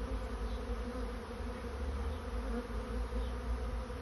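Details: A swarm of honey bees finding a new home fills the air with a dense, steady, low droning hum. Layered buzzing tones throb continuously with slight swells in loudness, and no other clear sounds are heard.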